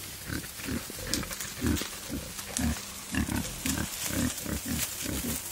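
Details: Male wild boar courting a female in the wild, uttering rhythmic short deep grunts about twice per second, steady and chugging, over a low background hum.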